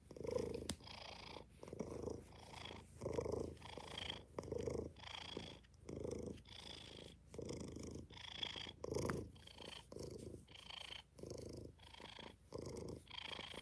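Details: Purring from kittens in a kitten cuddle room, a steady low rumble rising and falling with each breath in roughly one-second pulses, with a brief click near the start and no voices over it.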